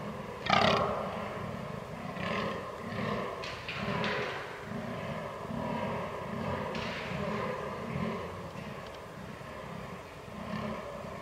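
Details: Fallow deer during the rut on 22 October 2022, recorded with a Canon R6: one loud harsh groan at the start, followed by regularly spaced, deep burping grunts.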